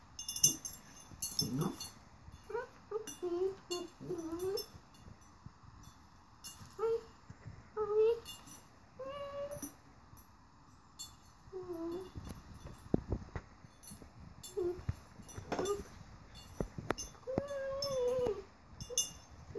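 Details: Domino, an eight-month-old rat terrier, talking while playing with a flower vase: a long series of short yodel-like whines and rising-falling moans, irregularly spaced over the clip, with clinks and thumps of the vase and play.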